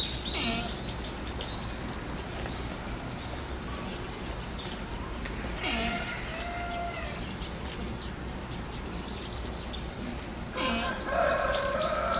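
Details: Giant panda Tantan at Oji Zoo on 19 January 2021, excited by falling snow, standing up and scratching; tonal, harmonic bleating calls around the middle and end, with higher chirp-like notes at the start over steady low background hum.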